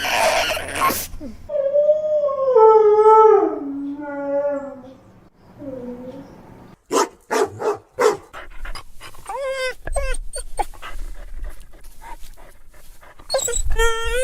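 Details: Sad crying of a dog, a puppy's plaintive wail: a long, tonal howl that slides steadily downward, then a brief low moan, then a scatter of quick yelps and shorter whimpers with some rustling in a small room.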